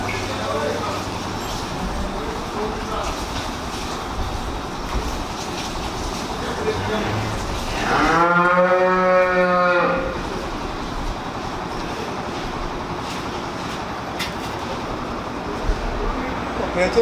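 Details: Dairy cow on a farm at Village Bajaj, Jalandhar district, Punjab, giving one long, full, drawn-out moo lasting about two seconds, over a constant mechanical rumble and hum.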